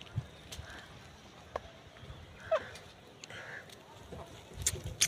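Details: Goat kids, hungry and licking a finger while searching for milk, give two thin, wavering bleats a few seconds apart, mixed with soft handling noises, sharp clicks and a human voice nearby.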